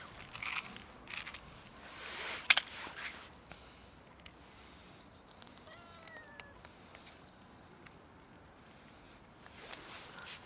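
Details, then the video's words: Hungry cat meowing loudly while begging for food, a single wavering harmonic meow lasting about half a second, surrounded by footsteps, crunching and rustling sounds. "Cats meow loudly until I fed them"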